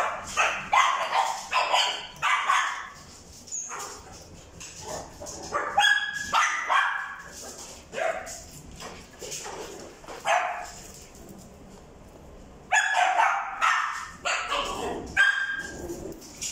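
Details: Male Papillon with a white and brown coat, born 13 February 2021: bright, high-pitched barks come in clustered runs. A brief quieter stretch near twelve seconds is followed by another rapid flurry of yapping.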